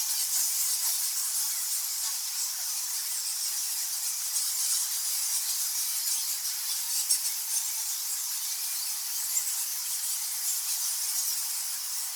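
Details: A dense, unbroken chorus of high-pitched squeaks and squawks from thousands of nectar bats, described both as in a cave and as flying foxes in trees in subtropical Mary Cairncross.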